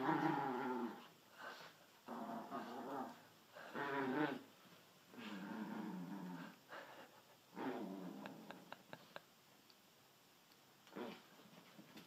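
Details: Indoor growling from the pet dachshunds Sausage and Weenie: long throaty rumbling bursts with rich harmonics, about six bouts in twelve seconds, then a few sharp clicks.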